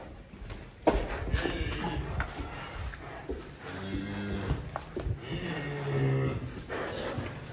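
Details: Large cattle heading to a farm, giving low drawn-out moos with steady bands around 4 and 6 seconds, over background music, clatter and people talking.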